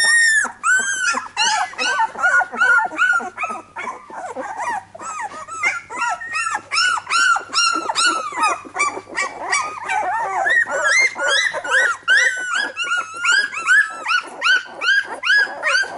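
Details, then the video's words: Litter of Labrador Retriever puppies crying together indoors, a dense continuous chorus of high arching whines and yelps, several pups overlapping, with a faint low hum in the background. "Labrador Retriever Welpen"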